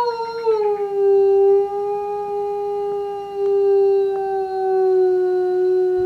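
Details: A 5-year-old male eastern timber wolf at Tokushima Zoo, Japan, howls on an afternoon in January 2017 with one long, steady howl that dips slightly, then holds a low mournful note, while a neighbouring polar bear listens.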